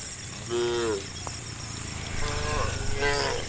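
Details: Tame cows in a herd walking along a road to green rice fields in the morning, giving short moaning moos with a rising-falling tone, two or three calls spaced apart, over a steady insect hum and background noise.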